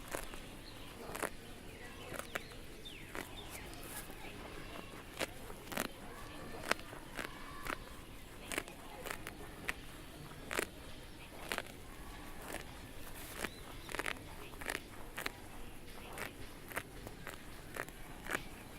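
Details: Cows grazing on grass outdoors, each bite a sharp tearing crunch at irregular intervals of roughly half a second to a second, over a quiet rural background hiss.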